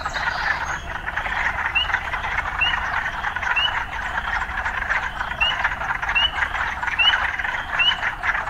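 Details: Urban frogs form a thick buzzing chorus, with quick rising chirps repeated almost every second above the steady din; occasional town sounds are mixed into the recording.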